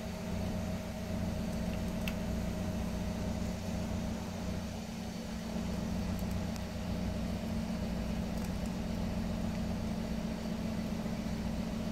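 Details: A steady idling engine drones throughout, with a constant low rumble and a few faint clicks on top.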